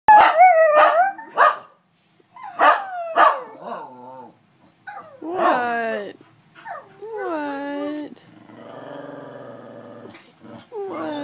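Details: Zara, a dog missing her owner, howls with other dogs joining in: drawn-out, wavering tones sliding downward in pitch, broken by short bark-like bursts and a stretch of buzzy, rough sound.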